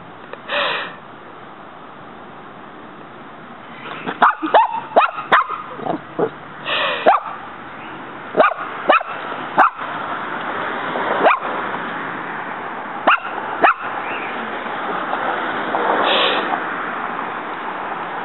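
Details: Muñeca, a female dog in a backyard, repeatedly trying to fight a praying mantis that keeps fighting back; sharp, short barks and yips come in irregular bursts, some clustered quickly, others spaced a second or more apart, over steady background hiss.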